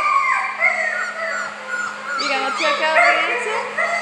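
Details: Several puppies about four weeks old, happy little guys, give overlapping high whines and squeaky yelps, some rising and falling, with a steady low hum underneath.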